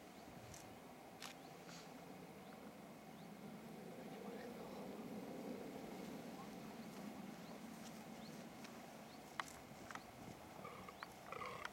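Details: Fallow deer buck at the end of the rut, groaning to try to attract does: a long, low, rumbling groan swelling through the middle of the recording, outdoors with faint clicks and a few bird notes.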